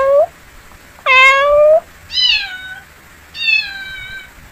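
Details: Domestic cat giving four meows: a short rising chirp, a long loud steady meow, then two drawn-out falling meows, in a quiet room.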